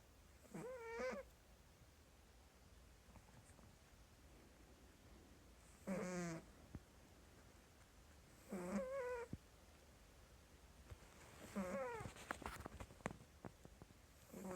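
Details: A domestic cat sleeping and snoring, giving squeaky snores: four short tonal squeaks, each about half a second and bending down then up, repeated roughly every three seconds over a faint low hum.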